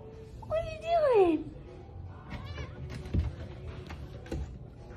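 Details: Domestic cat giving one clear falling meow, followed by fainter cat sounds amid music and background clatter.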